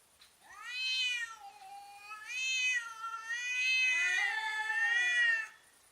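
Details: Cats confronting each other, in slow motion: loud, harmonic-rich yowls in overlapping bursts, two voices wavering and rising together before stopping abruptly.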